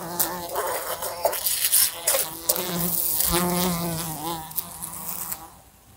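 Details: A fly indoors next to a lamp, flying into it: a whining, fluctuating buzz rising and falling in strength, interrupted by sharp tapping collisions, fading out in the last second.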